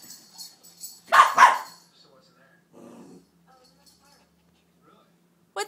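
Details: Neighbour puppy Snowball, afraid of and angry at a stuffed gefilte fish toy, gives a rough double bark with a growly edge, followed by a short muffled grumble. A voice speaks quietly throughout, then louder at the close.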